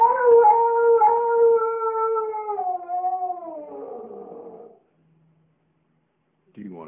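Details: Singing Siberian Husky gives a long, steady howl that slowly slides downward and fades after nearly five seconds, followed by silence and then a brief new vocal onset.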